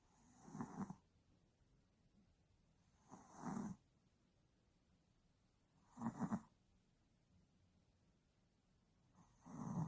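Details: A sleeping Yorkshire Terrier, worn out after the day, snores steadily. Four rasping, throaty snores come about every three seconds, separated by near-silent gaps.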